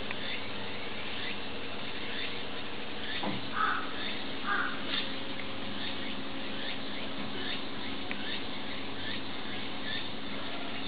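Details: Four-month-old Pallas's cat kitten at Saitama Children's Zoo, giving two short, soft mid-pitched calls about a second apart near the middle, over a steady low hum and faint repeated high chirps in the background.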